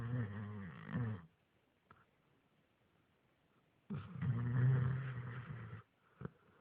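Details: Male dog sleeping indoors and snoring like a man: two long, deep, rattling rasps about a second and two seconds long, separated by a quiet pause of nearly three seconds, then a brief snort.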